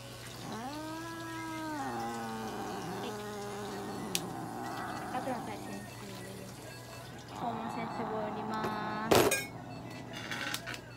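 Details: Norwegian Forest cat at a veterinary clinic in Nagoya, Japan, during treatment including light therapy, claw trimming, paw-pad clipping and anal gland expression; long drawn-out wailing meows with rising then falling pitch, several in a row, with a person speaking softly and handling noises.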